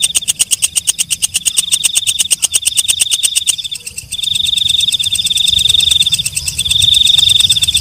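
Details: Walang kecek, a night grasshopper, calling: a rapid series of sharp, evenly spaced high clicks for about three seconds, a brief pause, then a sustained, shrill, rattling trill at the same high pitch, pulsing slightly in loudness.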